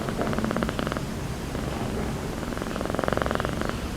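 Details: Calico village cat fast asleep on a motorbike seat, snoring and drooling: two long, grainy, pulsing rasps, one near the start and one near the end, separated by a quieter pause, with a low steady hum beneath.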